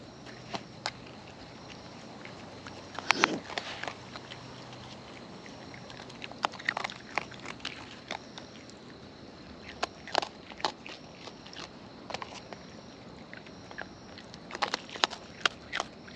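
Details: Close-up of wild raccoons eating: sporadic sharp cracks and crunching bites, with one longer rasping crunch early on, separated by quiet stretches and a faint steady high hum.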